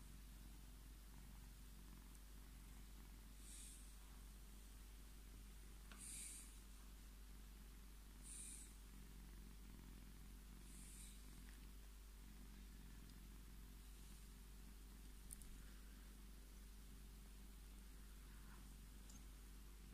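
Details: Indoor Scottish Fold cat, male, purring as he seeks petting; an unbroken low vibrating rumble with a slow rhythmic swell of breaths, and scattered soft rustles of fur or fabric.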